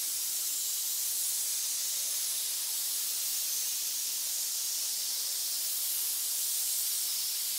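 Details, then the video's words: Snakes in a pit hissing together, a steady high breathy hiss that runs without a break for the whole stretch, with no other sounds. "Pit of snakes hiss"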